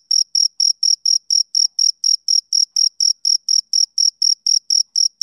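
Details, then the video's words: A male cricket chirps in the summer evening, rhythmic bright pulses spaced about a quarter second apart, clean and regular, with no other sounds present. "Cricket Chirping Sound Effect"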